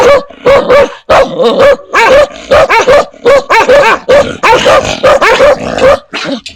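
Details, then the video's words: Barking from dogs and puppies meeting strangers and familiar people. Several animals give clipped, overlapping barks in a steady, busy stream with no pauses. "Âm Thanh TIẾNG CHÓ SỦA và CHÓ CON sủa | Sounds of DOGS and PUPPIES barking"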